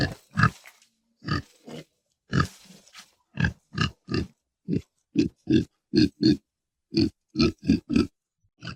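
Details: Pig producing rapid rough grunts and snorts, short noisy pulses coming faster toward the end, some bursts with a brighter nasal edge, no other sounds.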